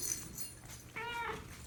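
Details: A mother cat with kittens, recently taken in from a hoarding situation, gives one loud, drawn-out, slightly arched meow, yelling at the person in complaint.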